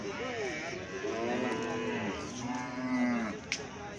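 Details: Calf mooing in a few drawn-out, slightly wavering bleats, each rising then falling, separated by short pauses, ending with a faint click.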